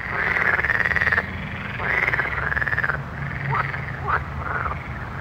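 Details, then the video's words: Frogs calling at night: long, buzzy, pulsed croaks lasting about a second each, repeating in a steady chorus with shorter overlapping calls, over a low continuous hum. "Soothing Night Frog Sounds"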